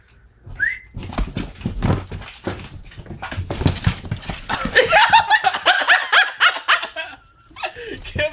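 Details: A 2-year-old male Jack Russell Terrier, jumping at and trying to get over a cardboard box during a house move, gives excited whines and rough growling yips, with rustling and a person's voice.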